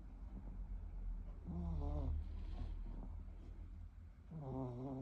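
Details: Shorkie dog snoring: low rumbling breaths with wavering, whistle-like nasal tones rising and falling on two breaths about three seconds apart.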